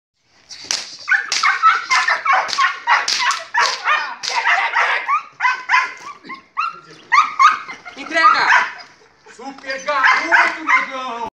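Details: Five-month-old Belgian Malinois in early training meant to build drive, speed and focus on the decoy; rapid, excited barks and whines in dense bursts of about three per second, with brief pauses, alongside human voices.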